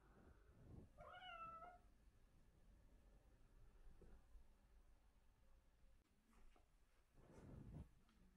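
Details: Bengal kittens, a silver male and a brown female, indoors playing with catnip bubbles; a single short meow with rising-then-falling pitch near the second second, then quiet rustling and soft thumps of play.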